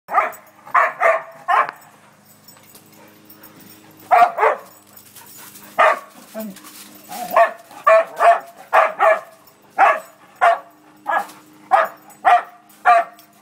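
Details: A playing dog barking in short, sharp bursts, some in quick pairs or triplets, then more spaced single barks at roughly one-second intervals, with quiet gaps between groups.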